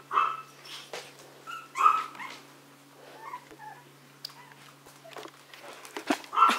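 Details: Maltese and Yorkshire terrier dogs at home, giving short high, tonal yips and whimpers in bursts at the start, near two seconds and at the end, with a woman speaking Korean softly between them.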